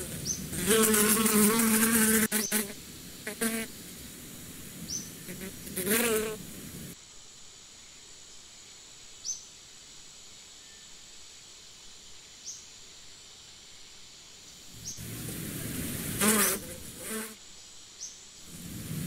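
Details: Bees buzzing in loud bursts with a low, harmonic-rich hum near the start and again toward the end, separated by a quiet stretch with faint, short high chirps in the background.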